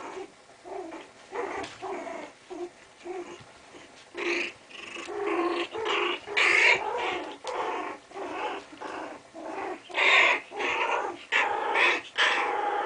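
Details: Chinese Cresteds at play indoors: steady series of gravelly growls and snarls, each burst under a second, coming roughly twice a second and growing louder and denser toward the end.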